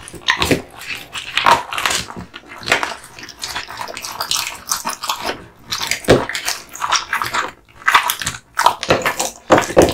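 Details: American Bully dog (pit bull), male, chewing a duck spine jerky treat: sharp crunches and bone-cracking bites in irregular clusters, brief quiet pauses between them, in a small room.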